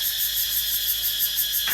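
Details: In the evening at a planted forest garden, many cicadas, possibly over a hundred, some singing on a Siamese rosewood tree, give a shrill, unbroken, high, hissing buzz that swells faintly in rapid regular pulses.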